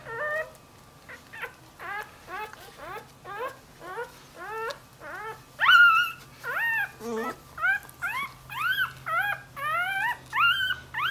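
A Dachshund puppy whines in quick, rising, high-pitched yelps, calling for its mother.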